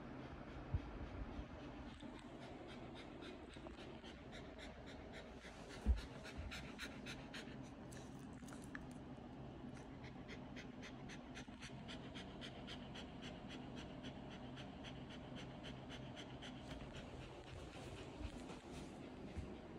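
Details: Shiba Inu named Ranmaru, hot after exploring around temporary housing, cooling off indoors in front of the air conditioner. Rapid, breathy panting strokes in a steady rhythm over a constant low hum.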